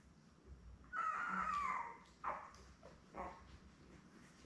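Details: Labrador Retriever puppies, a litter of seven born May 24, 2021, with mother Belle, on a June 3 live puppy cam. One long, slowly falling whine is followed by two short yelping squeaks, with quiet in between.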